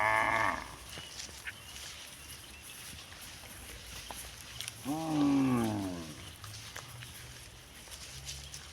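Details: Cow mooing in a village setting; a brief call cut off at the start, then a long falling moo around five to six seconds with rich harmonics, over steady rural background noise.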